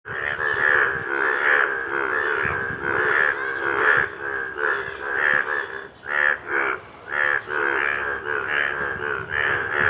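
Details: A frog calling: loud, harsh, nasal croaks repeated in rapid bursts, roughly two to three per second, with brief pauses between groups.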